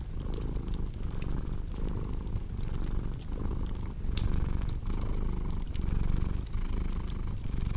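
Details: Purring cat, a dense low rumble pulsing in regular breath-length waves, louder toward the end, accompanied by steady fireplace crackles and occasional sharp pops.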